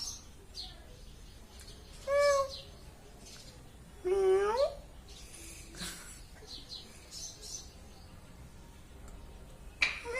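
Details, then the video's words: Domestic cat giving two separate meows, the first short and higher, the second longer, lower and wavering, with pauses of faint background noise and scattered clicks between them. "ಬೆಕ್ಕಿನ ಸೌಂಡ/ಗರ್ಜನೆ ಕೇಳಿ ಹಾಗು ನೋಟವನ್ನು ನೋಡಿ. Cat Sound and Look See."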